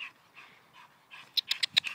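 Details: Dog named Major jumping up a tree outdoors, breathing hard: a few soft, airy puffs spaced apart, then a quick burst of five or six sharp, raspy pants in under half a second.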